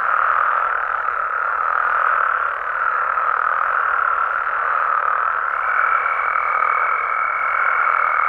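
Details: Amphibians of Mexico at night, many frogs and toads croaking together in a dense, steady mid-pitched chorus, and a thin unbroken high tone entering partway through and holding to the end.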